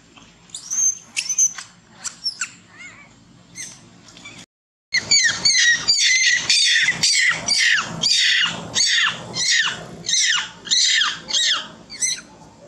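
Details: Monkey screaming loudly in pain while being bitten and unable to escape; shrill, harmonic screeches, a few sharp calls, a brief break, then a fast run of loud repeated screams about every half second.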